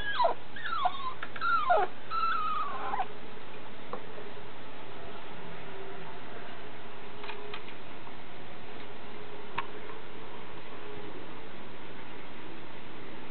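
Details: Female Italian Greyhound puppy, blue and white. Thin, high whimpers slide downward several times in the first three seconds, then fade into steady low rumbling room noise.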